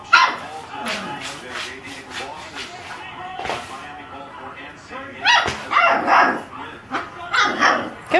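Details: Seven-week-old male Saint Bernard puppy barking at himself on his first trip down a step by himself; scattered short barks at the start, then a denser cluster of yappy barks in the last three seconds, with background rustling.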